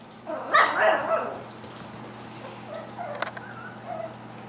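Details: Klee Kai and Shiba Inu puppy, just over five weeks old, indoors: a burst of harsh, layered yips and barks in the first second, then softer squeaky whines, with people talking nearby.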